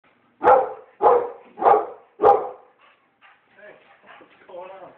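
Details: Pit bull that is scared of balloons barking: four loud, evenly spaced barks about half a second apart, followed by faint softer sounds and a person's voice.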